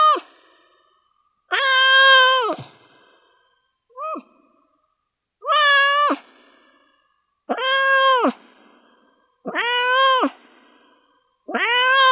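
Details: Stressed cat freaking out, yowling; drawn-out harmonic meows about every two seconds, each wavering then dropping at the end, one short squeak in between, a quiet background otherwise.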